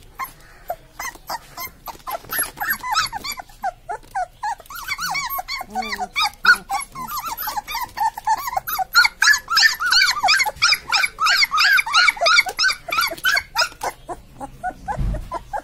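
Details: Newborn Labrador Retriever puppies in a litter, several voices overlapping in rapid high squeaks and whines, arched harmonic chirps repeated about three per second, denser and louder in the second half.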